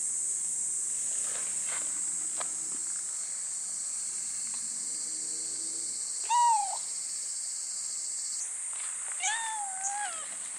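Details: Young cats, a thin black cat and a brown tabby, visit a forest arbor at Tamano Utaki Shrine. Two drawn-out, bending meows, the second slightly longer, rise above steady, shrill cicada song.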